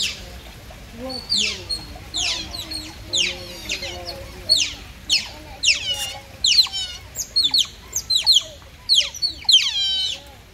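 Otters chirp with rapid, high, squeaky calls that sweep downward, several animals calling over one another.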